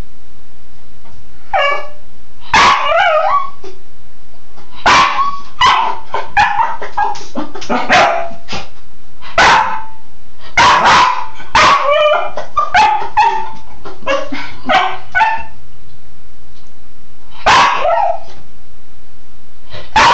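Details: Cairn terrier playing in the shower, giving rapid excited barks and high yips in quick irregular bursts, some rising and wavering, over a steady low background of running water.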